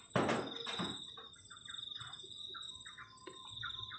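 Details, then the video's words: Cricket chorus ringing steadily and high on a cold night near a garden shelter, with short chirpy notes repeated in the middle range and a heavy thud plus scraping at the start. "ENJOYING THE SOUND OF CRICKETS ON A COLD NIGHT"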